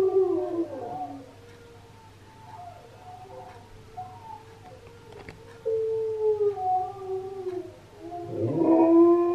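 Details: Husky singing in reaction to another husky's singing, indoors: long wavering tonal howls, sliding and bending in pitch, with a quieter stretch midway and a loud rising howl near the end.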